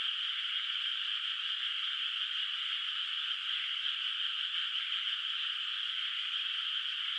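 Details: Frog voices echo across a countryside rice paddy under moonlight at night, its water still without rice. A thick, uniform chorus of high buzzing calls runs without pause, constant in loudness.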